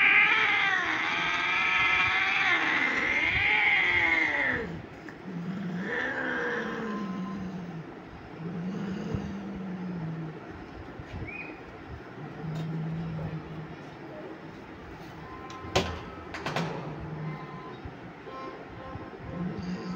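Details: Persian cat during mating: a loud harmonic-rich yowl sweeping up and down opens, followed by lower moaning growls repeated at intervals, with a few sharp clatters and background hum.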